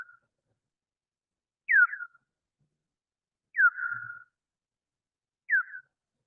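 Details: Slowed-down echolocation of a big brown bat, recorded by a bioacoustic monitor at the Wampanoag Common Lands: short, sharply downward-sweeping chirps about two seconds apart; the calls speed up as it zeroes in on prey such as mosquitoes.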